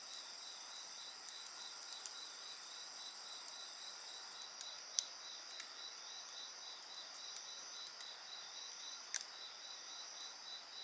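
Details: Constant high insect trilling with a pulsed chirping band beneath, heard alongside a bonfire whose loud pops and snaps punctuate the recording every second or two.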